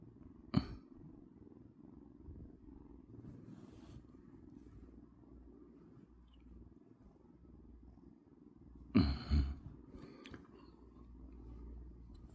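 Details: Domestic cat asleep during the day, purring in a continuous low throaty rumble with even pulsing; two brief sharp knocks or rustles interrupt near the start and after nine seconds.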